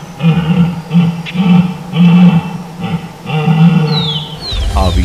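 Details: Red deer stags (Cervus elaphus) bellow in deep, throaty, rasping groans during the March–April rut in the calden forest of Parque Luro reserve, La Pampa, Argentina.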